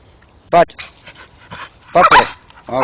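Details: Male Staffordshire Bull Terrier worked up while chewing a tree stump in the dark gives a loud short yelp, then a double burst of high whining yips and a final rising whine, with a man talking nearby.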